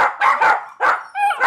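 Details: Lola and Brooke, puppies reacting to themselves on a screen, give a quick series of four short, high yips and barks, one ending in a whiny tonal yelp.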